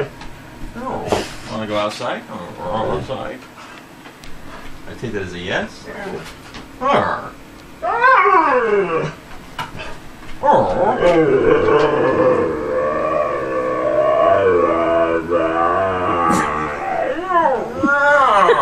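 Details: Male husky talking with his owner, long drawn-out howling yowls with wavering, bending pitch, some rising and falling, building into a sustained warbling vocal stretch in the second half, mixed with the owner's speech.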